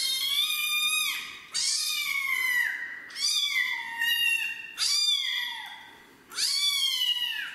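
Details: Rescued street kitten at its first bath, unwilling to shower, crying steadily: five loud, drawn-out meows, each rising sharply then sliding down, spaced roughly one and a half seconds apart.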